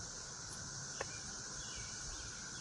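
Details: Many cicadas, some perched on roses and some flying, drone together in a steady, high, machine-like buzz, heard on a walk with puppies.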